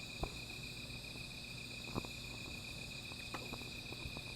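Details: Steady high insect trilling on a night outdoors, with a small fire crackling close by; several pronounced pops from the flames stand out against the even, ringing background chorus.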